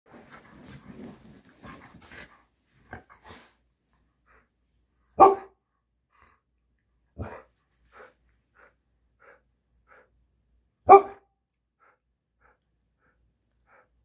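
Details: Aria, an Alaskan Malamute puppy, during a spontaneous happy dance of joy. Scattered soft snuffles, then three sharp single barks spaced seconds apart, with faint short yips between them and quiet stretches.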